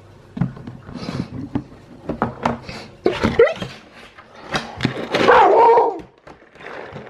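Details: A male Alaskan Malamute at feeding time, about 12 hours after his last meal, gives a run of short woofs and whiny, talking yowls, begging for food.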